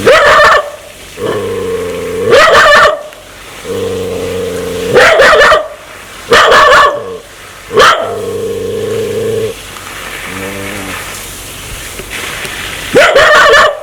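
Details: Aggressive dog eager to bite people: steady droning growls lasting one to two seconds, each breaking into loud harsh barks, repeated several times, with a softer rumbling growl near the end.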